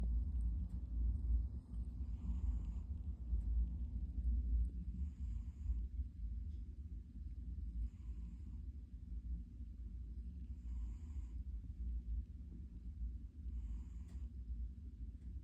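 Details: A pet cat snoring: a low, steady rumble with soft breathy puffs returning roughly every two to three seconds, repeated throughout.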